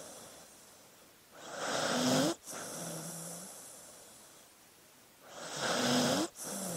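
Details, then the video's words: A dozing dog gives two rough, rising snore-inhales, each ending in a thin squeaky whistle and a sudden stop, then a low humming exhale and near-silence. "Sleeping Dog Sounds"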